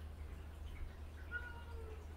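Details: Gentle pet cat Haechal, annoyed by kittens pestering her as if she were their mother; a soft, thin, drawn-out meow in the second half, faint above steady low indoor hum.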